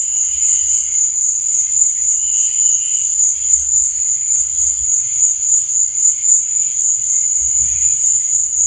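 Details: Crickets chirping at night, an unbroken high shrill trill with intermittent lower chirp bursts and occasional soft low thumps beneath.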